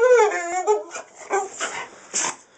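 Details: Jayda, an American Staffordshire Terrier, reacts to seeing a cat outside and doesn't know what to do. She gives a high, drawn-out whine that slides downward, followed by a few short breathy whimpers and snuffles.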